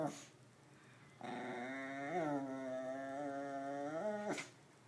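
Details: Percy, a pet dog, playing around indoors, gives one long drawn-out vocal grumble lasting about three seconds, tonal and richly layered, dipping then holding steady before ending with a short upward lift; quiet room otherwise.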